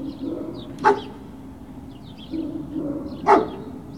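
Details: Barking from Great Dane puppies, recorded 21 March 2019: two sharp barks about two and a half seconds apart, faint high chirps between them, over a constant low droning background.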